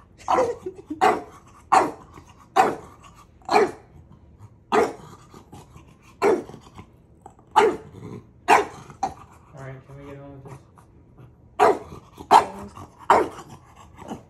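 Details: Bulldog-type pet dog named Maui teasing his big brother, giving a run of sharp barks spaced about a second apart, with a brief low growl near the ninth second and quiet room background.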